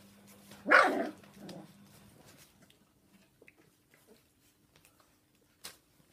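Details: One loud, harsh bark, then a softer follow-up, from the household where Jack Russell terrier girls help care for 3.5-week-old Golden Retriever puppies on evening duty; the rest is near silence over a faint steady hum.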